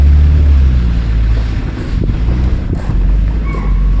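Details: Safari vehicle rumbling through Kanha Tiger Reserve forest, with heavy low engine noise and wind buffeting, a few faint knocks, and no animal voice heard.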